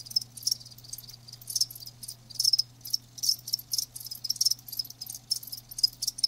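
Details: Live crickets chirping in short high-pitched bursts, several pulses per second in irregular clusters, with a faint steady low hum underneath.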